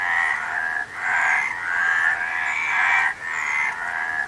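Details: Croaking frogs in a massed chorus, the calls swelling into long, roughly one-second waves separated by quick dips at about 0.8 and 3.1 seconds.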